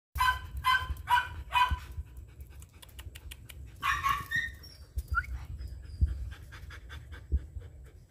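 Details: Twelve-month-old female German Shepherd with a semi-long, fiery red coat: four short harmonic yelping barks in quick succession, then a squeaky whine and steady rapid panting breaths with low background rumble.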